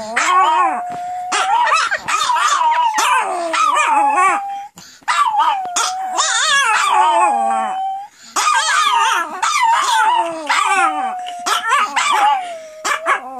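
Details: Several female Pomeranians in a howling frenzy, set off by their owner's howling; long wavering high howls overlapping with sharp yips and barks, in bursts separated by brief pauses.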